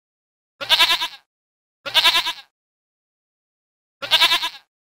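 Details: A mountain goat at a zoo gives three wavering, nasal bleats, each about half a second long, with pauses between.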